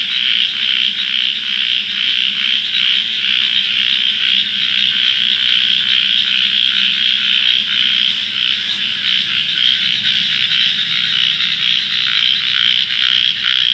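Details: A dense night chorus of frogs near water in darkness, with many high, rapid croaks blending into a steady pulsing din; one frog calls with puffed-out cheeks.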